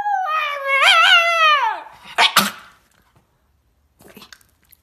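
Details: Puppy letting out one wavering howl lasting nearly two seconds that drops off at the end, then a couple of scuffling knocks and near silence.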